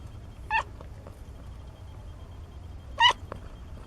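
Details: Kittens 17 days old from a litter of four; two short, thin, high meows sound about two and a half seconds apart over quiet indoor background.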